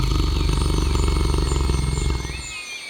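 A tiger's roar rolls out deep and throaty, a steady pulsing rumble heavy in the low range. It holds for about two seconds, then drops away, leaving faint high whistling tones behind.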